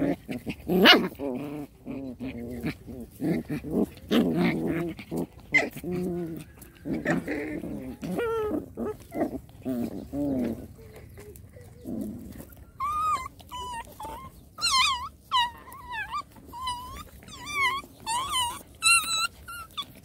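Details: Rottweiler puppies fighting in play: first deep rasping growls and snarls, then a string of high, wavering yelps and squeals repeated about once a second.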